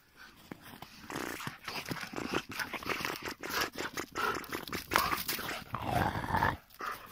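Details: Belgian Malinois dog giving a run of rough, broadband growling bursts mixed with short high whimpering whines, uneven and continuous in a close indoor-sounding setting.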